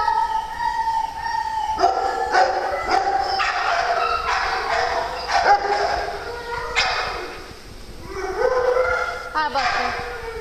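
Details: Farm dogs during morning playtime: a long run of mixed high whines, yelps and wavering howls, some gliding up and down, with short sharp clicks between them and a person's voice nearby.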